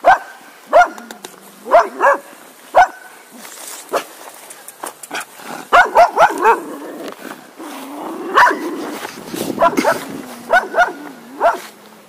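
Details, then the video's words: Barking from a Cocker Spaniel, many short, sharp barks at uneven intervals, sometimes doubled, over a busier stretch of clicks, thumps and low whining sounds in the middle. "Cocker Spaniel Dog Barking Sounds"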